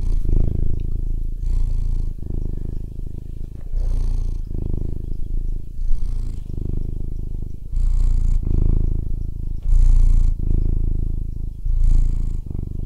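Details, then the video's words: A fat cat purring: deep, rumbling low purr in long steady stretches, broken by brief pauses roughly every one to two seconds as the cat breathes. "FAT CAT PURRING"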